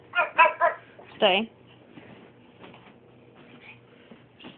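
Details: Pet dog indoors barking for food after a walk: three quick, sharp barks followed by a longer wavering, whine-like bark, then quieter faint sounds from the room.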